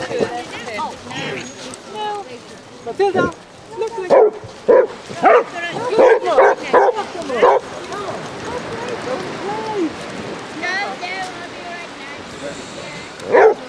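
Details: Basset Hounds, a pack of 30 romping on sunny Exmouth beach in Devon, give a run of loud barks and yips in its middle section, over background chatter and people calling the dogs to chase.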